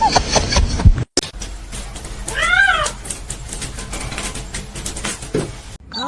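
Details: Domestic cat gives one drawn-out meow that rises then falls, set among abrupt cuts, background noise and traces of music.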